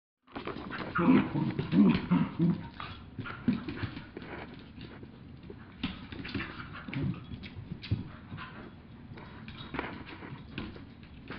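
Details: Two dogs, a two-year-old mini Aussie and a one-year-old chihuahua, play fighting: bursts of low rough growls in the first seconds, then scattered snarls, scuffling and thumps from the tussle.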